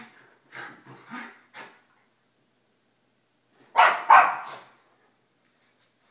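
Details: Three pet dogs at morning play: Einstein, an 11-year-old Mini Schnauzer; Suzi, a 9-year-old Basset; and Emma, a 2-year-old Yorkie. Three short, soft barks come first, then a pause, then two loud, sharp barks close together in an otherwise quiet room.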